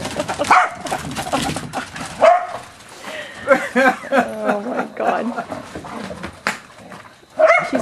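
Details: In June 2011, Corgis being exercised run, chase and jump, giving quick high yips and barks in scattered bursts, some whiny, while a person exclaims excitedly over them.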